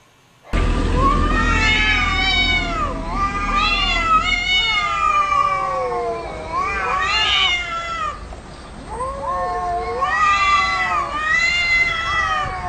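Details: Cats and kittens meowing almost without pause, many overlapping wavering cries that rise and fall, some high-pitched kitten mews among them, over a steady low background hum.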